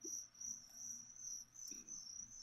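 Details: Live crickets used to feed a leopard gecko keep up a sharp, high-pitched pulsing chirp, steady with short dips, over faint low handling noise.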